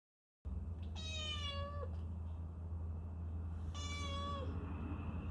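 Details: Domestic cat, one that seldom meows, coming to the entrance to greet its owner returning home; two clear, drawn-out meows near 1 and 4 seconds, each ending in a slight downward bend, over a steady low indoor hum.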